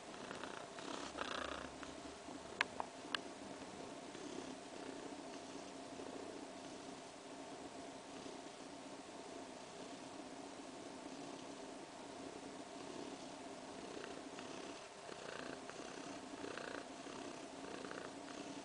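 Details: Purring from Kaewe, a pregnant cat around three weeks along, relaxed and kneading her paws as she dozes. A continuous low rumble swells and eases in a breathing rhythm, with a couple of brief ticks early on.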